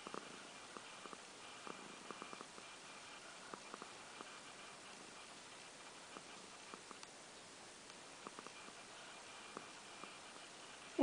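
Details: Pet cat purring indoors, recorded in February 2014, described as neither the loudest nor the quietest purr: a quiet continuous rumble with scattered soft clicks and a short human sound at the very end.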